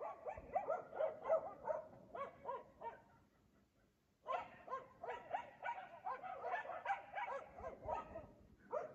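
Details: Dogs barking at 3 AM every night in Aliseda (Los Galaperos) while their owners sleep; rapid runs of sharp barks, several per second, a brief lull near the middle, then renewed steady barking.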